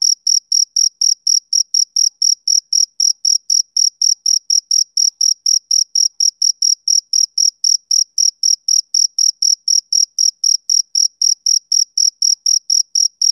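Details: Rhythmic male cricket calling on a summer evening: dozens of piercing chirps in a steady beat near four per second, continuous and uniform, with a clean, quiet background.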